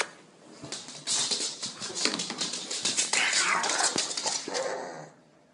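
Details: Pug in Cape Town, a female pet excited about going for a walk, giving rapid high whines and squeaky yelps over a bright noisy background, with a person speaking encouragingly.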